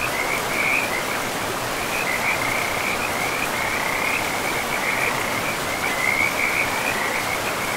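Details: Forest riverside frogs produce closely spaced, high rattling croak bursts that rise and fall in loudness, with flowing river water rushing steadily underneath.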